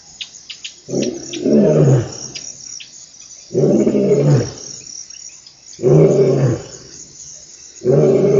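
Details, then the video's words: Lion in the African bushveld roaring in deep, rough, low grunting bursts about a second long, repeated roughly every two seconds, over a steady high chorus of insects. "Sound of the African Bushveld,Lion"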